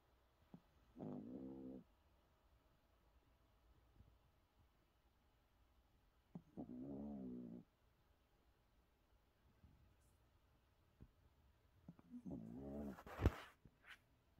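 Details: Shih Tzu asleep lying belly-up, snoring: three rough, buzzy snore bursts, each about a second long, spaced roughly five seconds apart, the last one ending in a sharper noisy burst; quiet room otherwise.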